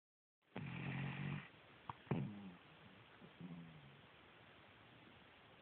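A Cavalier King Charles Spaniel snores with a low, rattling rumble, followed by softer snorting breaths.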